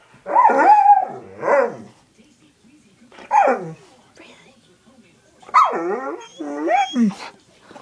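An Alaskan Malamute lets out a series of long, yodelling barks that bend up and down in pitch, half bark and half howl. The dog is asking to be let out, and a person briefly answers in the background.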